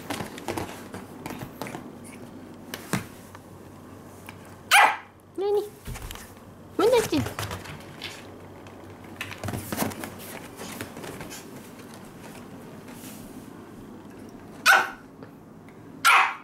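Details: A pet Yorkshire Terrier indoors likes sniffing the breeze coming in on a warm early-summer day. It gives a few short, sharp single barks, widely spaced, with soft indoor rustling and murmuring voices between them.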